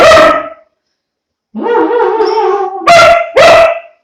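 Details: Young German Shepherd, two months old with a long coat: a brief quavering howl that starts low, jumps up and holds level, followed by two short, loud, rough yips.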